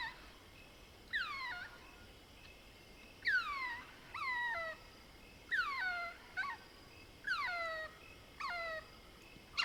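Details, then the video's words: Mohol's bushbaby, a lesser bushbaby, calling at night in the African bush of the Soutpansberg range, South Africa: a series of sharp descending squeaks, each sliding downward with bright overtones, repeated in bursts about every one to two seconds. "Lesser Bushbaby Calls - Cute squeaks & sounds of a Bush Baby calling at night"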